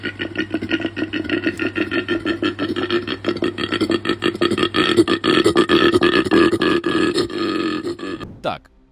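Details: Koala bellow, described as a pig-like grunt or tractor-like roar that males make to scare off rivals or attract females: a long run of rapid, rough pulsed snorts with a deep buzzy tone, steady for about eight seconds before a sharp cutoff.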